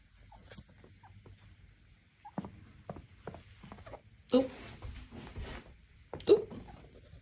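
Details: Knox, a very vocal pet chinchilla, screams for attention because he wants out of his cage to play after a late cage-cleaning routine. Two loud, harsh, noisy bursts stand out against softer scattered squeaks and clicks in a quiet room.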